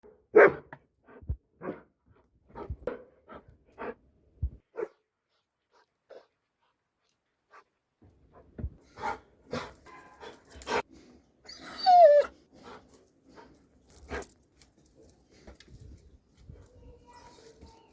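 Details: Dobermann giving a few sharp barks in quick succession, then sparser barks, with scattered knocks, a brief high squeak and faint background noise in the second half.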